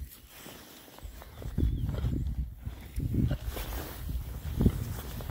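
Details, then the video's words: Rare-breed Oxford Sandy and Black pigs, six boys, forage outdoors in winter between storms. Three short clusters of low, rumbling grunts stand out against scuffling and trampling on the ground. "rare breed Oxford Sandy and Black, happy pigs, winter forage. 6 boys. ASMR oinks."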